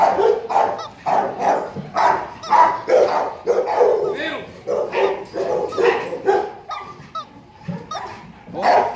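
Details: Ten-month-old male Rottweiler of about 40 kg at a kennel barking in a steady series of gruff barks, roughly one a second, fading near the end, with a person talking over them.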